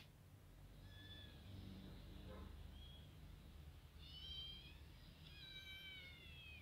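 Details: A white kitten approaches a ginger female Persian cat while she eats. Faint thin mews come first, then two clearer high, slightly falling mews near the end, over a constant low background hum.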